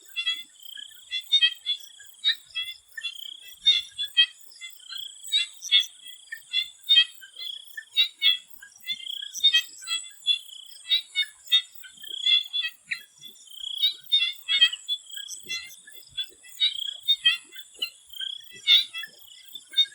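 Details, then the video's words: Swamp frogs calling before sunset in Thailand: a dense chorus of many overlapping callers, short clicking pulses and bleating notes, repeated rapidly, over a steady high insect-like hiss. "The Relaxing sound of swamp frogs"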